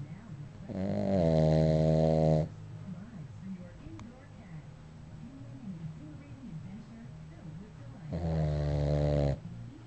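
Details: Dog snoring indoors: two loud, drawn-out rasping snores with a buzzy, harmonic tone, each lasting about two seconds, separated by quieter wavering breaths.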